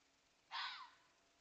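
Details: A fox barking at a coyote gives a single harsh, raspy bark that drops slightly in pitch at the end.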